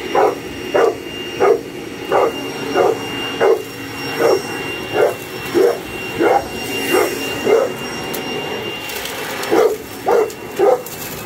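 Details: Boerboel attacking a vacuum cleaner with a long run of sharp barks, about one every 0.7 seconds with a short pause near the end, over the machine's steady motor drone.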